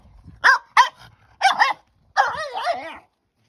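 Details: A French Bulldog puppy overexcited while playing with her new stick gives three sharp, high barks followed by a long wavering, yodelling whine.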